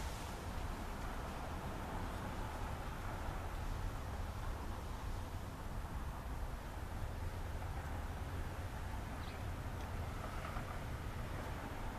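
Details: Even outdoor noise, like wind or distant traffic, fills the recording with no animal voice.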